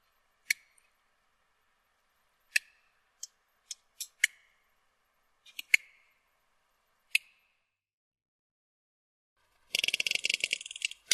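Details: Sperm whale clicks heard played back, sparse single sharp ticks spaced a second or two apart, then a dense rapid click train buzzing near the end.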